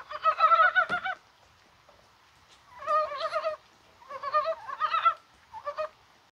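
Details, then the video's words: Korean mountain frogs croaking in falling rain on a mild January 21st, possibly spawning; four clusters of throaty, quavering clucks, each lasting under a second, separated by quiet pauses of one to two seconds. "개구리가 울어요"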